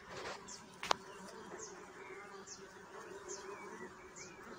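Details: Steady low buzzing of bees with a sharp click near the start, while small birds give brief high chirps repeated about every second in the background.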